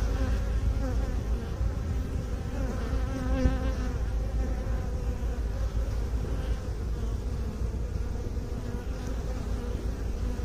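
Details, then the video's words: Buzzing of honey bees kept by beekeepers: a thick, unbroken droning hum, slightly wavering in pitch, with a brief louder swell near the middle and otherwise even volume. "Bee song"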